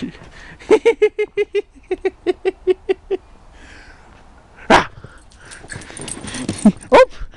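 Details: A Pembroke Welsh Corgi playing in snow barks a quick, even series of short, high yaps, pauses, then adds a few louder, harsher barks over faint rustling and breathy noise.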